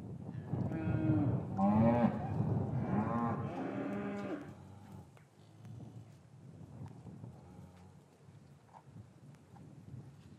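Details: Cattle in an English farm yard on a winter afternoon, calves separated from their mothers, recorded with a matched stereo microphone pair; a few long low moos with a harsh, rising tone in the first half, then quiet yard noise.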